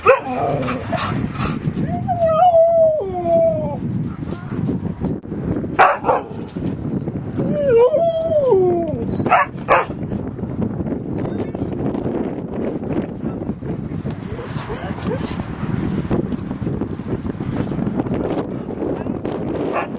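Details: Rosy and Rocky, two dogs playing at Seal Point Dog Park on the western side of San Francisco Bay, August 10, 2015: two bursts of wavering, high-pitched whimpering yips about five seconds apart, with rustling and background park noise.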